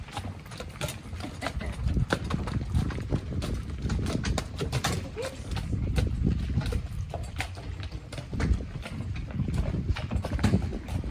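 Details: Shire horse in Dyfed pulling a ride-on cart: a steady, low, thudding clip-clop of hooves under rumbling cart noise, with people's voices heard faintly now and then.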